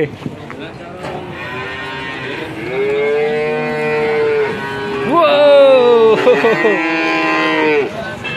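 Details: Male calves being sold at a market in Grabag, Magelang, Indonesia, nineteen bought by one buyer. Long, level moos swell in loudness, then a louder call rises sharply and slides down over about two seconds.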